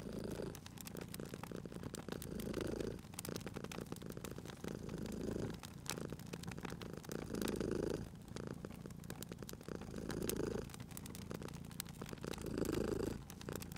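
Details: Purring of a sleeping cat next to a crackling fireplace in spring. The low vibrating rumble pulses in slow breath cycles about every two and a half seconds, interrupted by brief pauses, with frequent sharp crackles from the fire.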